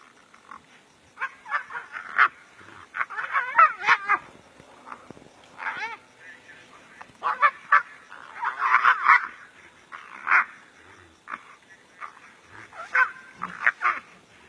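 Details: Two brown hyenas locked in a serious fight in the African bush, giving scattered squealing yelps and rasping cries in uneven bursts over a quiet background.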